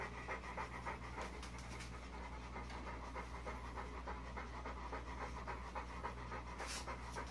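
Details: Young bulldog pup just spiked by a porcupine, breathing hard: quick, slightly uneven panting around three times a second, with a steady low droning hum and a brief hiss near the end.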